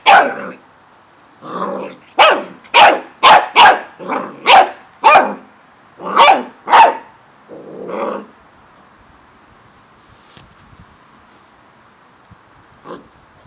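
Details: While playing with balls in Milton Keynes, UK, a male corgi barks repeatedly, about two rough, slightly growly barks per second for eight seconds, then falls mostly silent apart from faint clicks.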